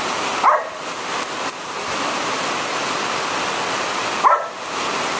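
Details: Angry at the rain, thunder and lightning, Belle the Border Collie lets out two single sharp barks about four seconds apart, nearly buried in a constant roar of heavy rain.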